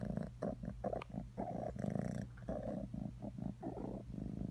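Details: Cat purr with a deep, vibrating rumble broken into alternating bursts, each lasting a fraction of a second with brief softer gaps between them.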